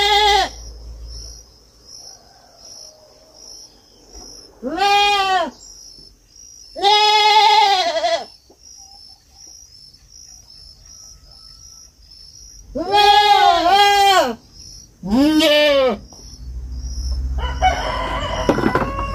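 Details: Young goat on a farm giving five loud, wavering bleats at irregular intervals, some in quick pairs, over a constant high insect drone; quieter rustling and scattered noise fill the gaps and the end.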